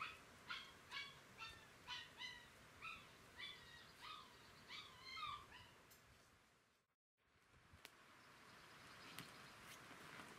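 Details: Galgo Español puppies from a 2018 litter at Kennel Grey Mountain, recorded 30 May 2018: high, wavering whining squeals with bright overtones, about two per second for six seconds, then a brief dropout and steady background hiss.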